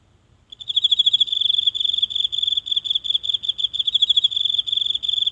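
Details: A single insect calling at night from the grass in a small house garden, captured close with a mobile phone. After brief silence, a high, bright pulsing chirp starts and runs steadily to the end.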